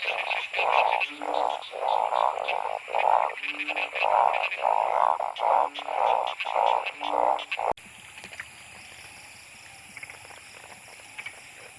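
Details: Heavy-rain chorus of narrow-mouthed frogs hunted at night with a torch; bursts of throaty, buzzing croaks pulse regularly for about seven seconds, then cut to a quieter background of rain-like hiss and distant faint calls.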